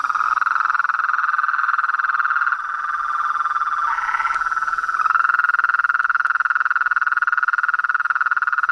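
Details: Toads, frogs and treefrogs in the wild form a continuous buzzing trill chorus. A short warbling shift breaks in near the middle before the steady pulsing returns, slightly louder.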